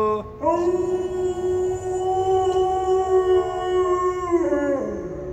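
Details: Kani, a pet dog, howls "awoo" in one long, steady, tonal note that holds its pitch for about four seconds, then slides down at the end, with a faint high steady tone behind it.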